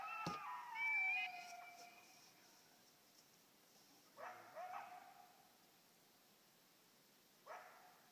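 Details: Coyote howling and barking at an electronic caller: a drawn-out, sliding howl that falls in pitch over about a second, followed by quiet, then sharp harsh barks near four and a half and seven and a half seconds.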